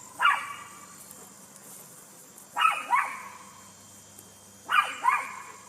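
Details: High-pitched poodle barks coming in quick doubled pairs, each pair roughly two seconds apart, three pairs in all over a steady background hiss.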